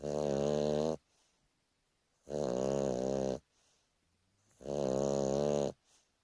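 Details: Napping Boston Terrier Turbo gives three loud, grating snores about a second long, spaced roughly two seconds apart, with faint soft breaths in the lulls during a lazy afternoon sleep.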